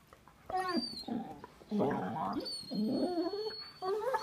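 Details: Dogs communicating with strange sounds, the smaller female having the lower voice; wavering, moaning yowls in three or four bursts, mid-pitched and slurred, with a faint high whistling tone in the background.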